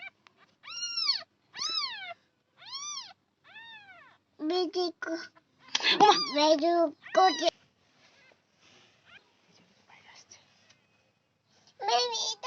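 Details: Newborn kittens giving thin, high mews that arch up and down, roughly one each second, then a louder stretch of overlapping, rougher cries and voices, and a last mew at the end, indoors.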